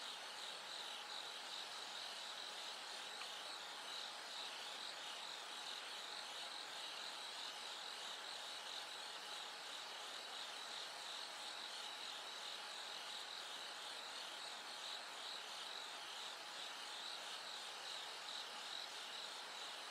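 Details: Bell crickets ring steadily in a high, bead-like trill within a dense insect chorus at night as it gradually grows light toward dawn.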